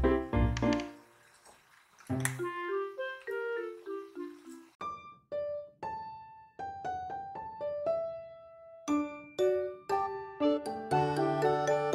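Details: Solo piano music plays a gentle melody of single notes and chords in a small indoor room, with no animal sounds.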